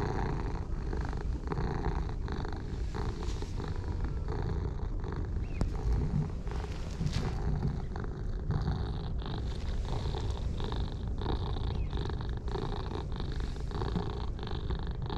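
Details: A pair of stray orange tabby cats, dark and pale, purring with delight while being petted; long steady rumbling purr pulsing with each breath, overlaid by occasional clicks and rustling of hands in fur.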